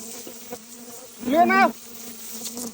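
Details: Honey bees heard while people go after the queen bees: a steady low hum runs throughout, and a louder buzz swells and fades over about half a second as a bee passes close. Faint voices sit in the background.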